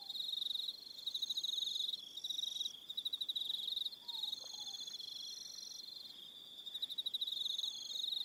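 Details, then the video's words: On Aroha Island in New Zealand, crickets sing in the evening: bright rapid pulsing trills in stretches of one to two seconds, layered with higher steady tones and a faint soft whistle. "1 Hour Relaxing Evening Sound of Crickets"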